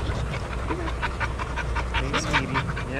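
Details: Shelter dogs at play in a daycare; rapid, rhythmic panting breaths pulse several times a second over a low rumble of room noise, with faint whimpers mixed in.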